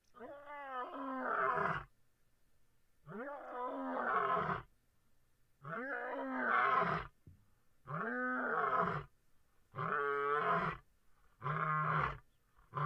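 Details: A Busanga lion calling: six long, harmonic, moaning calls of about one to two seconds each, spaced by short silences, with the later calls growing steadier and more tonal.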